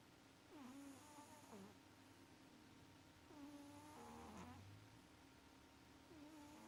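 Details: Maxi, a pet cat, snores while sleeping and having sweet dreams; soft, rasping breaths with whistly nasal squeaks, each wheezing snore rising and falling, repeating every few seconds over a quiet indoor hum.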